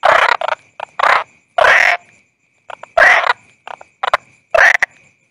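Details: A toad (bangkong) croaking: longer harsh, buzzy croaks alternating with brief clipped notes, irregularly spaced across five seconds, with silence between and a faint steady high tone.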